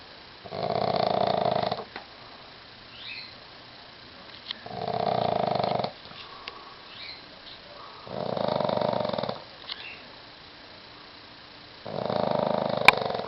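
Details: Pug sleeping curled up in a bathroom beside a West Highland terrier, snoring in long, broad, rasping breaths lasting about a second and a half each, spaced roughly every three to four seconds, with quiet pauses between.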